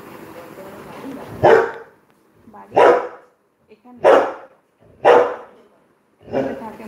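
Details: Labrador Retriever dog barking indoors at home, five loud, harsh barks spaced roughly a second apart, with people talking in Bengali in the background.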